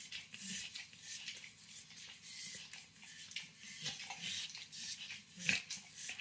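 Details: Nine-year-old Pit Bull Max nibbles and licks overcooked bacon in a kitchen, producing crisp moist clicks and lapping sounds, with one sharper smack near the end against a low background hum.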